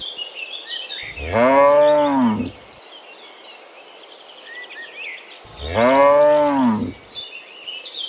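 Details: Morning moos from a herd of cows heading back from the field to their pen: two drawn-out, rich bellows about four seconds apart, each rising then falling, over a steady background of chirping birds and insects.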